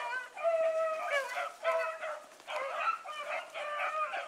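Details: Sustained, ringing bawls from Bluetick Coonhounds running with a dog called Sassy. The long harmonic notes overlap in a near-continuous chorus of several hounds.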